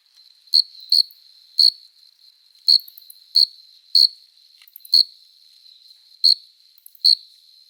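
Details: Summer night chorus of crickets, males singing by rubbing their forewings to court females; bright high-pitched chirps, some paired, spaced irregularly about half a second to a second apart above a thin continuous buzz.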